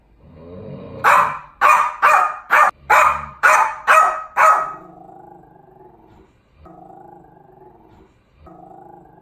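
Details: Norwich Terrier, small dog provoked into acting fierce, giving about seven sharp loud barks in quick succession, roughly two per second, followed by a lower sustained growling rumble.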